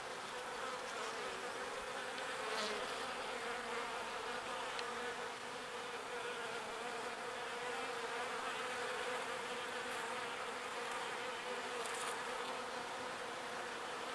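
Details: Many small bees at work collecting pollen and bringing it to the hive, their wings making an unbroken, even, low hum throughout.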